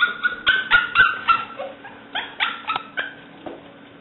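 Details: Seven-week-old female English Springer Spaniel puppy Alice, black/white tri-color, lets out a quick run of short, high yips, roughly four a second, fading after the first seconds; recorded 5/17/09.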